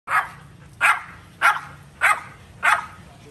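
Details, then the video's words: A dog barking: five sharp, evenly spaced barks, one roughly every 0.6 seconds, each a short loud burst with a quick decay. A low steady hum sits underneath. "Sound of dog barking"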